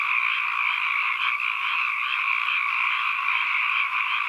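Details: A steady mass of frog calls as ambient sound, dense croaking blended into a continuous, slightly pulsing drone in two pitch bands, with no other sounds.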